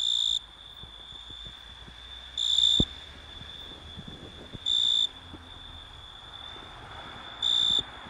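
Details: Italian tree cricket (Oecanthus pellucens) singing: four loud, pure, high trills of under half a second each, spaced about two to three seconds apart, over a faint continuous high tone and light background ticks.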